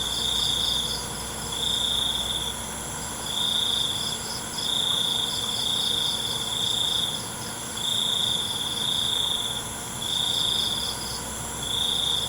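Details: Crickets at night, sustained high trilling phrases repeating every second or two with brief breaks, set against a dense steady background of other shrill insects.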